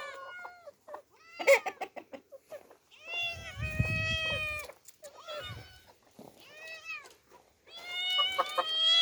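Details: Orphaned girl cats Demi and Dena meeting open nature for the first time. Quick short chirping mews open the stretch, then longer wavering meows follow, with a low rumbling noise under one call midway.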